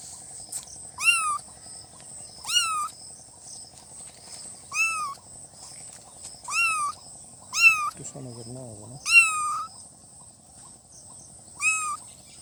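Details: Newborn kittens giving seven shrill, arched meows at irregular gaps of one to two seconds, with a brief low, buzzy voice-like sound near the end and a constant faint high hiss behind.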